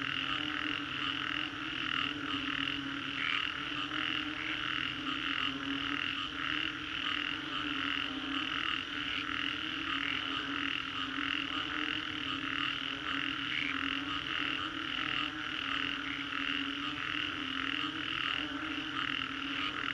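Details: Chorus of frogs after a storm in Singapore's Green Corridor: many callers overlap in rhythmic pulsed croaks repeating about twice a second, steady and unbroken, over a constant low drone.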